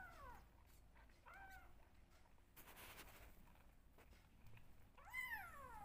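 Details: Two rescued kittens being bottle-fed milk, calling for attention: a few thin meows that rise then fall, spaced irregularly, with a burst of rustling handling noise midway indoors.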